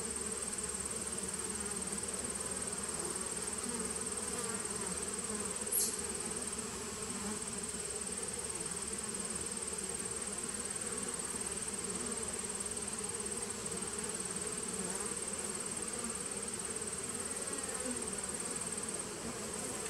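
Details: Honey bee nucleus hive, 19 September 2018, giving an unbroken low buzzing hum over twenty seconds, with one sharp click partway through and a faint high whine.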